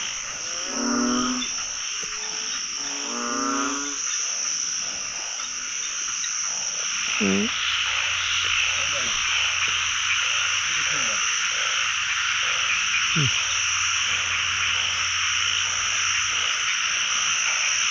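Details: Narrow-mouthed frogs calling across a pond as they are caught with a scoop. Two loud pulsed, rattling croaks open the clip, then a dense hissing chorus continues with a few short close calls and a low hum.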